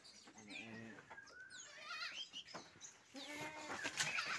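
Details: Goats kept in a collector's pen of unusual goats: a wavering, harmonic bleat early on, then a second drawn-out bleat near the end, with high chirping birds and faint human voices in the background.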